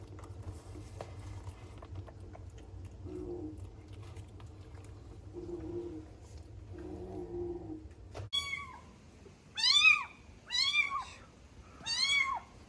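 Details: One of three kittens sheltering indoors on a rainy day: faint drawn-out cries over a low hum, then four sharp, high, arched meows about a second apart, each rising and falling quickly.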